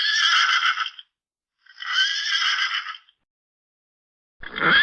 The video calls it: SONIDO DEL PONI - PONY SOUND - carlosmanfacebookx.blogspot.com -